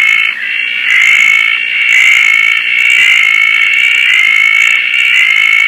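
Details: At night in the rain at Koah, a Roth's tree frog chorus forms a steady, high, buzzy drone that swells slightly about once a second, with a softer hissing rain layer above throughout.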